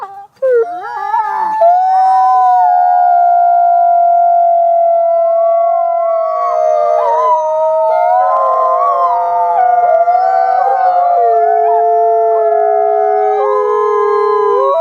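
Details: A chorus of several wolves holds long, steady, overlapping howls, some voices wavering and shifting pitch while others stay level, with a brief rough start before the chorus settles.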